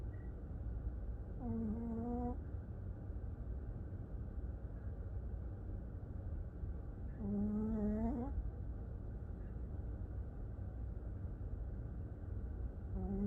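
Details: A sleeping dog snoring: two tonal, droning snores about a second long, each rising slightly at the end, roughly six seconds apart over a constant low rumbling background.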